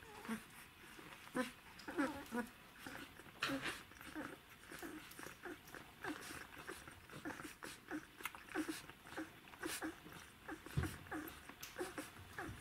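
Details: Czechoslovakian Wolfdog pups, a litter of Orizon and Rahan aged 12 days, recorded indoors in December 2020, giving a steady run of short, soft squeaky whimpers and grunts, irregular and overlapping, with light scratching and movement throughout.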